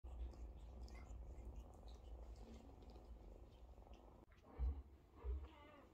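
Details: Mother cat with her kittens queuing beside her to be washed and fed; steady low rumbling purr fills the first four seconds, then a short break followed by two louder soft bursts near the end.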